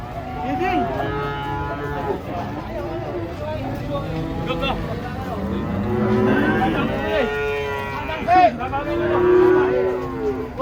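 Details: Huge cattle unloading from a truck, lowing repeatedly. Overlapping moos follow one another closely, with rich harmonic, arching tones that swell and dip, including a loud burst near the end. Some faint voices can be heard.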